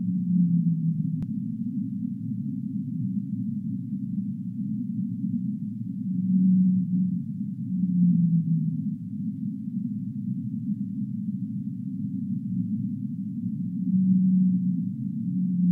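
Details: Humpback whale singing: low, drawn-out tonal moans, some level and some sliding downward, recur roughly every six to eight seconds over a steady, muffled low rumble that fills the whole stretch.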